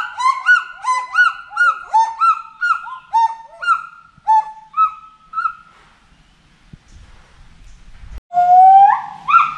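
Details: Forest monkey giving a steady run of bright, harmonic hoots that bend downward, slowing and fading after six seconds, then one loud rising note after a short silence.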